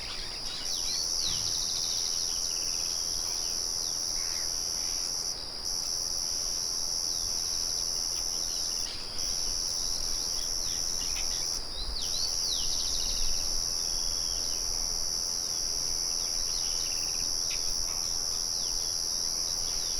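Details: Continuous high-pitched cricket trilling holds steady, broken by a few short gaps. Soft twittering birds and quick downward-sliding chirps join in, with a mill murmuring in the background.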